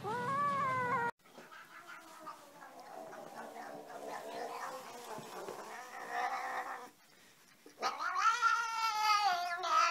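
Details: Domestic cat making weird noises: a tonal meow, then a rough, noisy, warbling caterwaul lasting several seconds, a brief pause, and a loud rising strained yowl at the end.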